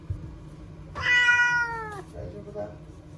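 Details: Timid ear-tipped TNR cat Chanta, formerly Nyaa, crying after capture and sheltering in a bathroom as Typhoon No. 10 approached in September 2020; one loud, drawn-out harmonic meow lasting about a second, falling slightly in pitch, in a small room.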